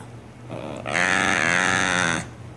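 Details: A cat gives a single drawn-out, harmonic-rich yowl that starts quietly, swells and holds for over a second before stopping abruptly, with a faint constant hum behind it.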